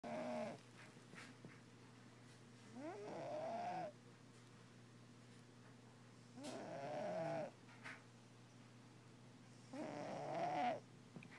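A Russian Blue cat snores in slow, rasping breaths, each lasting about a second, every three to four seconds.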